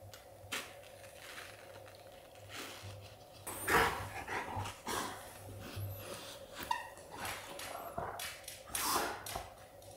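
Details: Golden Retriever father snorting at his pup to signal that playtime is over: a loud, short, breathy burst near the middle and another near the end, with fainter shuffling and soft sniffs between them over a steady low hum.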